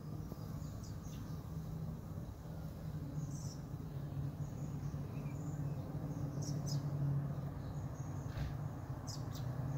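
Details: A low, continuous drone of honey bees at the hive entrance, recorded at 5:15 pm some 45 minutes after robbing, swelling slightly toward the end, with scattered faint high chirps in the background.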